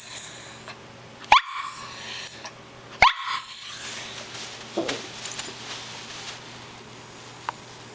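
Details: Callie the poodle lets out two abrupt barks about two seconds apart, then quieter whimpering sounds fade out, against a thin high-pitched hum.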